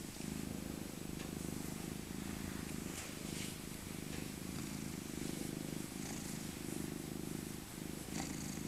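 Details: Being cuddled, the elder tabby Maca, born 2000 and once abandoned as a kitten, gives a continuous low purr in repeated bursts of about a second, each breath cycle audible, with faint rustling over the top.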